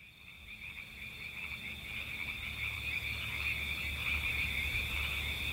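Frogs trill at night, a steady high-pitched pulsing that runs without a break.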